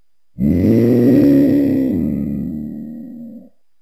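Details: One sustained lion roar about three seconds long, its deep tone rising slightly, then sagging and fading as the call trails off.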